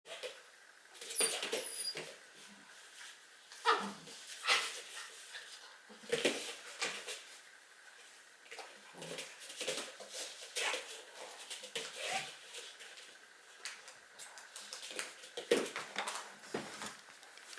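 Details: Two-month-old Barbet puppy at play makes an odd noise: short, scratchy bursts and soft whimpering snuffles come in irregular clusters every second or two, with quieter gaps between and faint high squeaks near the start.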